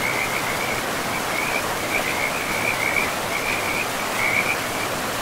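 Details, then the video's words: In a pristine forest beside a river, frogs repeat short, bright rattling chirps almost without pause, each a quick trill, layered over the loud, even roar of flowing water. "River and Frogs sleep sounds"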